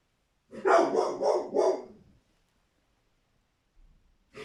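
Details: Angry American Staffordshire Terrier barking at frightened cats: a rapid run of four rough, throaty barks over about one and a half seconds, then silence before another bark begins.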